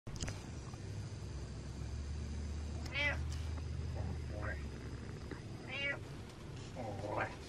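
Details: Butters, a pet cat, gives happy meows indoors: short harmonic mews with rising and falling pitch at irregular intervals, over a steady low hum and a faint high electronic tone.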